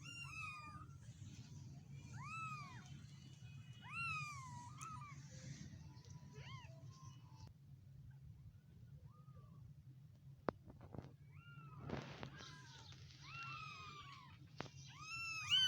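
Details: Stray kittens about a week old crying in a series of thin, high arched mews, several overlapping, with a quiet middle stretch, sharp clicks, then renewed squeaky calls over low background hum.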